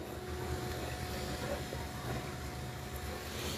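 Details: Continuous low rumble like a passing vehicle, with a faint high whistle and hiss near the end, no animal calls.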